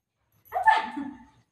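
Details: Milo, a pet Golden Retriever, fussing while being given a tablet: one short whining bark that rises sharply, then slides down into a softer whimper, lasting under a second, with quiet indoor surroundings.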